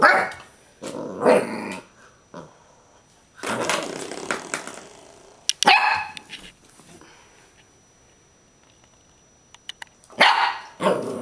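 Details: Clumber Spaniel with a doorstop, loud harsh growls and barks in bursts, one sharp yelp-like note midway and long quiet gaps between outbursts.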